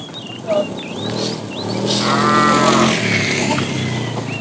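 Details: Tame cow herd driven along in the afternoon, a fat cow calling the female: a muffled, fairly distant moo of about one second in the middle, with birds chirping steadily.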